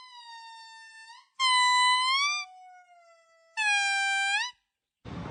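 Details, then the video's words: Monkey giving drawn-out, harmonically rich tonal calls that hold a steady pitch and sweep upward at the end, in three separate bursts with quiet gaps, ending on a short noisy crackle. "Weird sounds of Monkeys"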